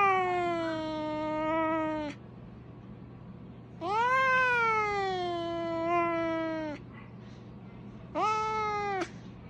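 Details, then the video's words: House cat making siren-like yowls compared to a fire truck: three drawn-out tonal meows, each bending up then sliding gradually down, the middle one longest, separated by quiet gaps of one to two seconds. "cat sound like a Fire Truck!"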